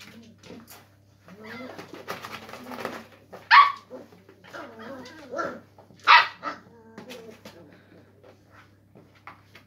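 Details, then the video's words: Springer spaniel puppies at play with a cardboard box indoors; scattered short yelps and squeaky barks, two sharp high yips standing out, with soft whines and rustling between them. "Cute spaniel puppies playing in box"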